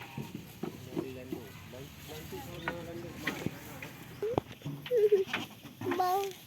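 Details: Farm goats at play and feeding: after quiet rustling and scattered knocks, a few short, wavering bleats break out near the end, the loudest a brief quavering cry followed by a thinner higher call.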